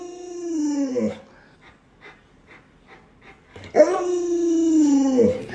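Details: Alaskan Malamute named Luoluo howling indoors at its owner, who is sick and unable to get out of bed; two drawn-out harmonic howls, each sliding downward over about a second, separated by a short pause with faint soft sounds.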